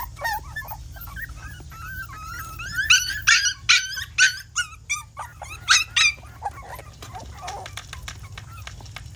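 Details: Dog with high whimpers, then a run of loud, evenly spaced yelping barks in the middle, fading back to soft whines; a low hum continues throughout.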